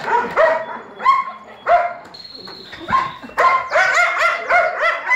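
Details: Young Belgian Malinois pups, born 11 May 2017, yelping and squealing in short harmonic cries, several animals overlapping, with a brief steady high squeak in the middle and a dense flurry of yips at the end.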